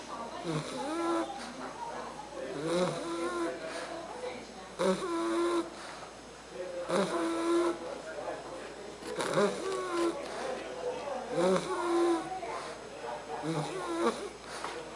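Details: Argus, a Bulldog puppy aged three months, sleeps and snores with steady rasping breaths about every two seconds, each carrying a faint whistled wheeze, in a quiet room.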